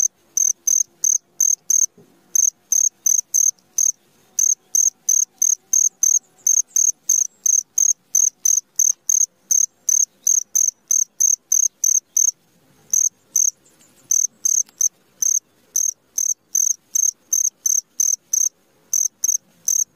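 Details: Cricket chirping at midnight, a steady run of short high-pitched pulses repeated roughly three times a second with two brief pauses, no other sounds.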